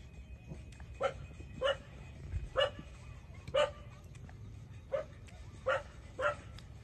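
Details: While suckling from the mother, 27-day-old puppies let out seven brief, thin yelping cries spaced unevenly about half a second to a second apart, softer against a hissy, rumbling background.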